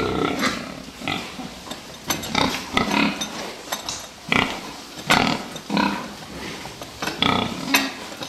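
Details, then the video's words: Fattening pigs on a farm giving repeated short broadband grunts and squeals in bursts, with clattering and metallic knocks between calls. "prasata výkrm"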